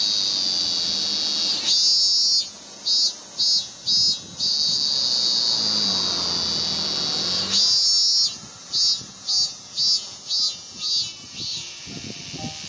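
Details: Ming-ming cicada, a male singing to win a mate on a cherry trunk in Japan, early August 2018, with piano practice nearby. Two bouts of high drone break into repeated quick pulses, separated by a brief lull where soft piano tones show.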